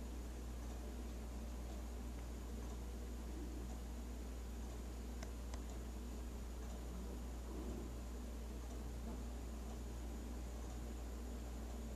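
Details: A steady low hum fills a small indoor room, with faint rustling and a few soft clicks and no animal voice.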